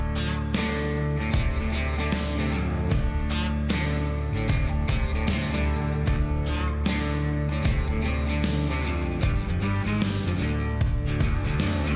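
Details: Loud strummed rock guitar music plays throughout, with no animal sound.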